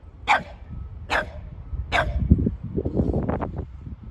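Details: Boston Terrier Sully, muddy and playing with Keeshond brother Kumo, gives three sharp barks in quick succession, then a low, rumbling play growl mixed with scuffling.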